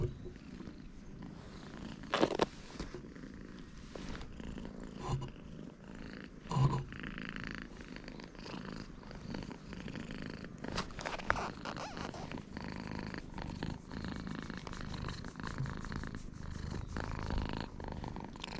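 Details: Free-roaming cats of a cat island in Japan pressed together, recorded on a GoPro HERO8; a steady, deep, fluttering purr runs throughout beneath rustling and brushing noises, with a couple of sharp knocks.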